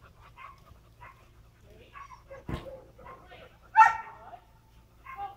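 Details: Wheaten Terrier at agility training gives one sharp, loud bark midway, with softer yelps and people talking around it.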